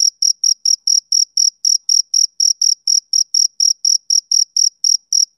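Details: Male cricket chirping steadily: short, high, ringing pulses repeated about four times a second in an even, unbroken rhythm, with no other sounds.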